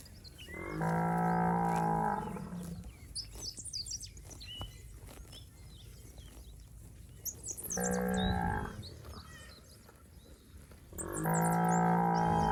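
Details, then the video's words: Well-fed, healthy village cattle from a herd roaming the rice fields give three long, deep, droning moos of one to two seconds each, separated by quieter gaps, with faint high bird chirps in the background. "Suara Sapi Gemuk"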